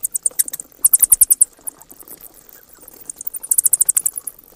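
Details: Bats give loud, rapid-fire squeaks in two tight bursts, staccato ticks packed closely together, separated by a quieter stretch of faint chatter.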